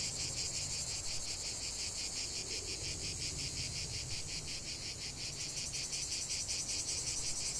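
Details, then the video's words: Steady shrill drone of many cicadas singing together, rapid pulses woven into an unbroken high buzz, with faint low background hum underneath. "45 min de chant des cigales"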